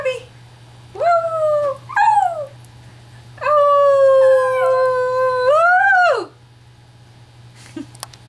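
A Chihuahua gives short rising yelps, then a long, wavering howl that climbs and falls away.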